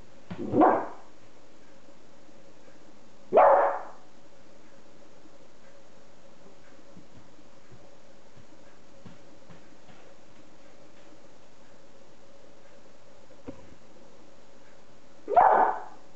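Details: Female beagle puppy Masha, busy playing with her food, gives three sharp single barks spread irregularly over the stretch, with quiet room noise and soft clicks in between.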